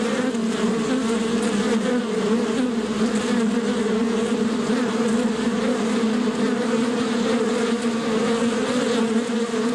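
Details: Bees recorded in nature, a dense continuous buzzing drone with steady low hum bands and a wash of many wings, no pauses, filling the whole recording.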